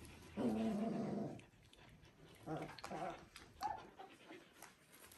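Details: Three-week-old Border Collie puppies from litter V2, Ori X Cru: a low, harmonic whining grunt lasts nearly a second, then a shorter pair of moaning whines follows, with soft snuffles and rustling between.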